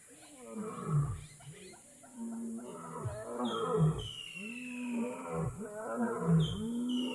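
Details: Lion roaring in Kgalagadi Transfrontier Park: deep, throaty grunting roars repeated roughly every one and a half seconds, each swelling and falling, while a bird gives thin, high descending whistles above.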